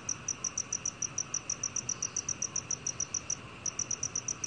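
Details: Shrill, regular chirping of a black cricket, recorded in 2020 for the National Institute of Biological Resources; bright pulses follow each other quickly, with a single short gap before resuming.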